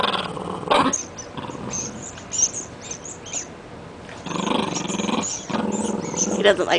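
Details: Rat Terrier growling during play with a new toy, said to dislike having his feet touched; low rasping growls in long stretches near the end, mixed with human speech throughout.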